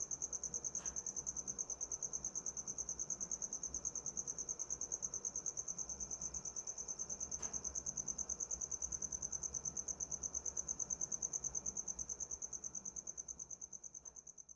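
A cricket gives a steady, high-pitched trill of rapid pulses that runs without a break.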